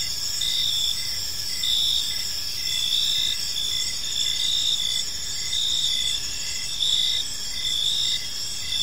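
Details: Park crickets singing in the evening: layered shrill chirping that never stops, with rapid regular pulses and occasional stronger trills rising above the constant hum.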